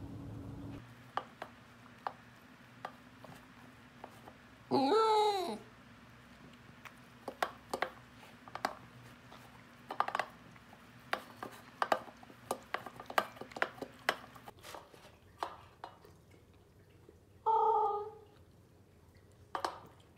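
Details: Willo, a female Pembroke Welsh Corgi in Phoenix, Arizona, howling while eating her food: two short, wavering, rising-falling awoos about twelve seconds apart, between steady crunching and clicking of kibble and bowl in a small room.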